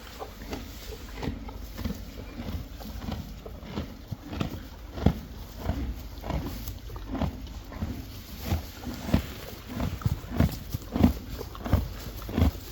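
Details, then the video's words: Friesian horses and foals munching hay: repeated dry crunches roughly one to two per second, irregular but continuous, with quiet rustling between bites. "Best sound in the world!! ASMR | Friesian Horses"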